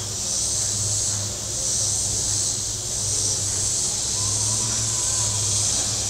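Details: Cicadas on the shore of Table Rock Lake, southern Missouri, on a very warm Saturday: a high, hissing buzz that swells and fades roughly every second, over a low steady hum of boat engines.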